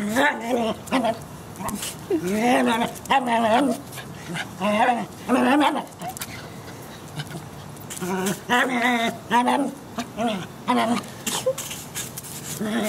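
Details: A small white terrier playing with a broom gives short, high, yelping barks and whiny cries in quick, uneven bursts; terrier.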